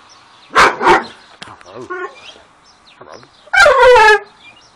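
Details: Dogo Argentino 'talking': two short woo-woo vocal bursts, a soft murmur in the middle, then a longer harmonic howl-like yowl that slides downward in pitch, all in a quiet room.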